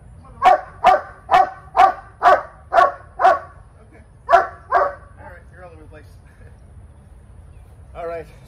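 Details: Female Cane Corso in training, barking insistently: a steady series of seven loud, deep barks about half a second apart, two more after a pause, then quiet whining and a final growly bark.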